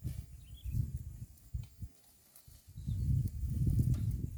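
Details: A herd of cows grazing green grass at a roadside: low, dull tearing and chewing crunches in uneven bursts, with a pause in the middle before a denser run of munching.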